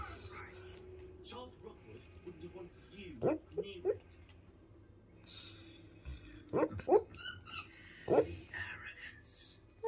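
A Basset Hound gives soft, muffled woofs and yips in her sleep while a person talks quietly nearby.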